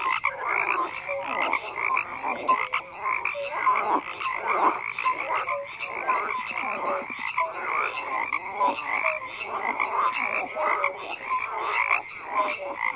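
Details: A dense frog chorus of overlapping croaks, many callers at once, with pulsed rattling notes and short tonal whistles repeating throughout and no gap in the sound.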